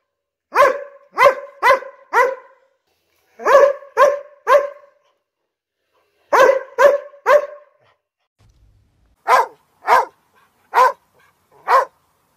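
A Border Collie barks in short, sharp bursts of three or four, with brief pauses between volleys.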